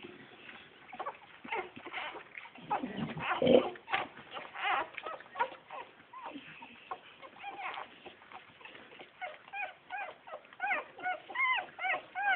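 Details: Bull Terrier puppies, recorded on a phone. Muffled scuffling and faint cries lead into a run of rapid, high, arching whimpers and yelps in the last few seconds, several per second.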